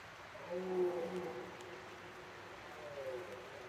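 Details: Red deer stag bellowing in the rut: one drawn-out, low, harmonic roar of about a second, followed near the end by a shorter, fainter second roar over a steady background hiss.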